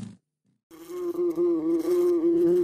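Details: Fly buzzing: after a short silence, a steady low droning hum sets in and holds with slight wavering for about two seconds.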